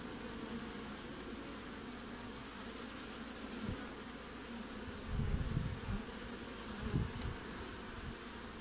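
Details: At the entrance of a hive in Australian midwinter, 20 June, bees keep up a constant humming buzz, broken by a few low, dull thumps and rumbles near the end.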